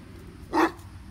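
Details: A single short deep bark from Katie, the seven-year-old Great Dane, during her squirrel chase, over low background rumble.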